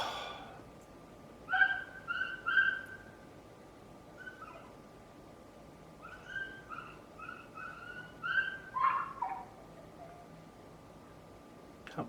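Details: A neighbour's dog gives high, piercing whines and yelps in uneven bursts: a pair of loud cries early on, then a longer string of shorter whining notes, with a constant low hum beneath.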